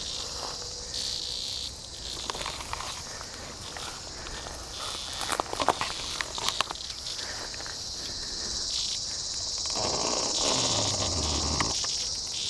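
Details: Praying mantis feeding on a live Tibicen dealbatus cicada in Kansas sand hills, 3 August 2010, 106 degrees; the high buzz comes and goes, with crackling bursts midway and a louder, broader rasp near the end.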